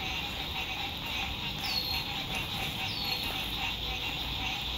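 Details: Lakeside frog chorus at sunset in spring 2021, fine weather at a campsite: many frogs call together in an unbroken, shimmering high trill, with two brief descending bird whistles rising above the chorus.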